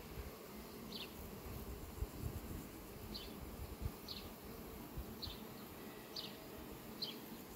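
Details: Bees flying among sunflowers on a farm on 18 July 2021: a steady, dense low buzzing hum runs throughout, with a short high falling chirp from a bird repeating about once a second.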